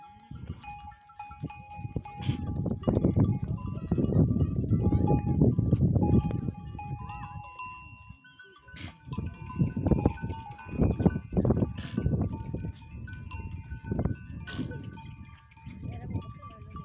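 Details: A herd of goats returning home through the forest at dusk in the Thar Desert. Dense low shuffling and trampling comes in two loud waves, with scattered bleats, sustained ringing bell tones, and sharp clanks throughout.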